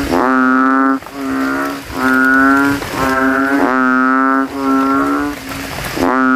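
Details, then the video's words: Banded bullfrogs in a puddle at a cemetery on a rainy night, throats ballooned, competing to call loudest: repeated low, humming bellows about a second long, closely spaced and overlapping between neighbouring males. "GENANGAN AIR MENJADI AJANG LOMBA KODOK INI BERTARUNG SUARA KERAS"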